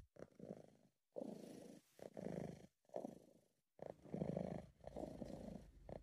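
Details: Close, relaxed purring from Sabu, a British Shorthair cat in a happy mood: steady gravelly rumble in phrases lasting about a second, broken by clear pauses, amateur home recording.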